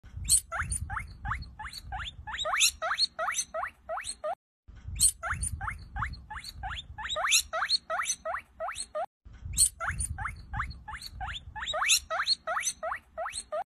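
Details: Guinea pig (Cavia porcellus), call.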